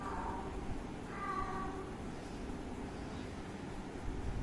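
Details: Cat and kitten at play and drinking milk; a short meow opens, followed by a longer, clearer tonal meow lasting about half a second, then steady low hiss with no further calls.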